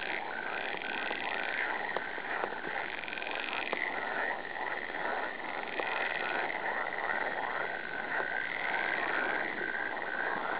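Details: Dense frog chorus, many croaking voices overlapping into a continuous rattling wall of sound, with occasional sharp clicks throughout.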